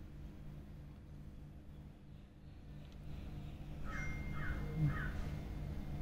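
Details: A Cocker Spaniel gives three short, high, arching whines in quick succession, begging to taste chai.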